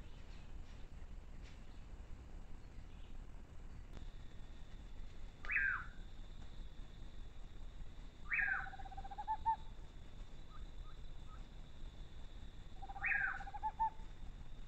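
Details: Fox calling at night on a Brazilian animal trail, its scary call a high, harsh note sliding downward followed by a lower steady tone, given three times several seconds apart over a quiet background with a faint steady high hum.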